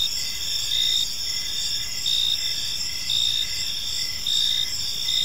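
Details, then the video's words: Evening park chorus of crickets, a continuous shrill ringing with gentle surges about once a second, several insects overlapping at different high pitches above faint low rumble. "Park Serenade: Cricket Sounds in a Peaceful Park"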